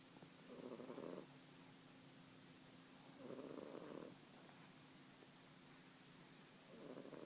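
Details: Sleeping British Blue cat, one year old, snoring in a slow even rhythm: a husky, purring rasp on each breath, repeated about every three seconds, with quiet gaps between.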